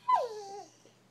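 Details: Female Bullmastiff puppy Lily vocalizing at home as if trying to talk: a loud, sharp yelp-like whine that drops steeply in pitch, then trails off in a wavering, falling moan, in a quiet small room.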